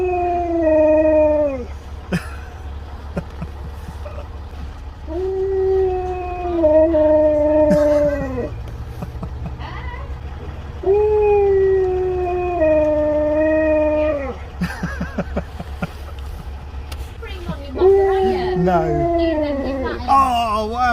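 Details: Siberian husky at a drive-thru window howling at the staff for a puppuccino: four long, smooth, slightly falling howls, each lasting two to three seconds with rich harmonics, separated by pauses, over a steady low engine hum and faint clicks.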